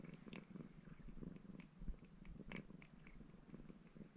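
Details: Maine Coon cat Baron, ginger, purring as he washes; a quieter, uneven low purr with short pulses and a few sharp licking or chewing clicks.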